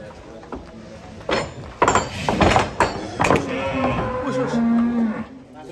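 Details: Giant cattle being unloaded from a truck at a farm: loud thumps and knocks of hooves and metal, then a short, low, steady moo near the end, with people's voices faintly behind.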